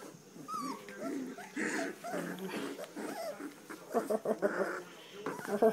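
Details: Standard poodle puppies, three weeks old, from Star and Levi's litter, make short rising whines and squeaky yips that bunch together near the end, with people talking softly in the background.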